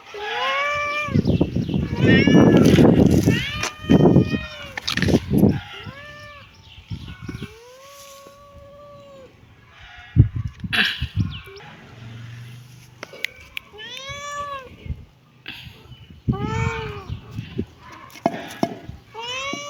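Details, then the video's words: Kittens meowing: a run of drawn-out, arching meows that rise then fall, some quick and clustered, others spaced apart, with bursts of louder low noise and handling sounds early on and quieter rustling between calls. "kitten meowing"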